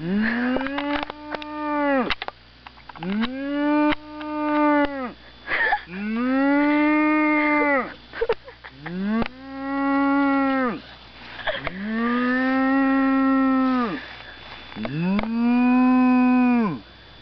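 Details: Cow mooing six times in a row, each drawn-out call rich and harmonic, rising then falling and lasting about two seconds, with short gaps between; faint buzzing of insects in the background.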